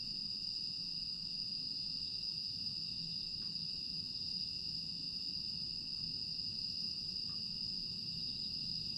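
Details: Grass insects on a quiet night in Aewol, Jeju, South Korea, 25 August 2022: a steady, unbroken high-pitched trilling drone holds throughout, with a faint low rumble beneath.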